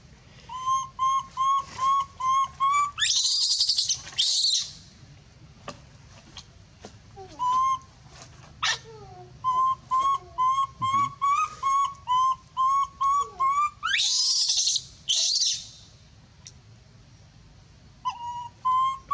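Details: A monkey screams loudly, calling for help: clear tonal cries with stacked overtones, repeated about twice a second in runs, broken by a few brief hissy bursts and short pauses.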